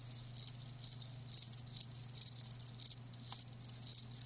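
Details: Live crickets giving high, trilled chirps in short bursts roughly every half second, several insects overlapping, with a steady faint low hum underneath.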